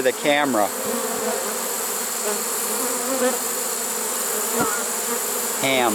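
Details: Honey bees of a trapped swarm, caught late in the season in September 2019, keep up an even droning buzz, with short bursts of human speech at the start and close.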